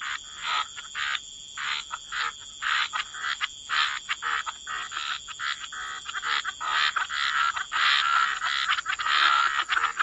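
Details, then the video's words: Wetland frogs croaking in chorus, short grating calls in irregular bursts, about one per second, building denser toward the end, with a continuous thin high whine in the background. "Frog Lullaby: Relax to the Sound of Croaking Frogs"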